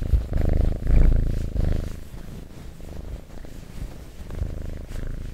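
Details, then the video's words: Cat purring close up for ASMR, a deep vibrating rumble strongest over the first two seconds, then softer and steadier with gentle rises and falls. "Purring Cat ASMR"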